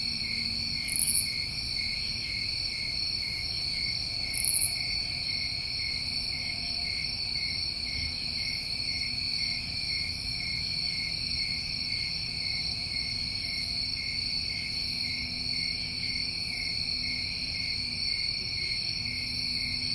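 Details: New England crickets in summer produce an unbroken high-pitched ringing drone of overlapping trills, punctuated by two short bright buzzy bursts early on, above soft low background hum.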